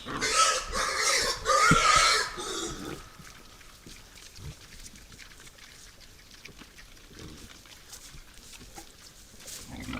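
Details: Wild boars at a forest feeder at night: a burst of shrill, strained squeals lasting nearly three seconds, followed by soft grunts and rustling in the undergrowth.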